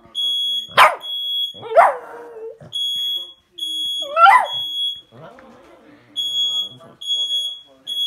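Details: Pet dog barking at a beeping fire alarm indoors: three sharp, harsh barks spread over several seconds against a steady high-pitched alarm beep that repeats in short bursts, with softer voiced sounds in between.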